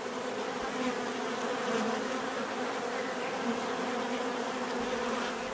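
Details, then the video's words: Bees make a continuous natural buzzing, a thick droning hum with faint wavering as individual insects shift. It stays even from start to finish. "bees therapy relaxing natural buzzing sound"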